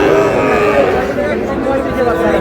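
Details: Sahiwal bull calf at a cattle market, bought by a farmer from Cumilla, Bangladesh; a steady, low, drawn-out moo runs through the clip beneath loud, overlapping bargaining voices.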